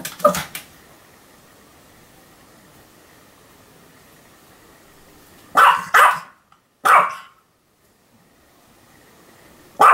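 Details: Pomeranian named Sam barking continuously, recorded 7 October 2015: a sharp double bark at the start, then a long quiet gap, a tight pair of yaps near six seconds, another single bark, and one more at the very end.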